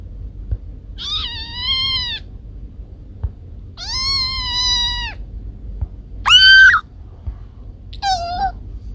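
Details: Home recordings of the cats Kiko and Koko: two long, level meows lasting over a second each, then a short, loud, sharply rising-and-falling cry and a brief final mew, with faint taps in the background.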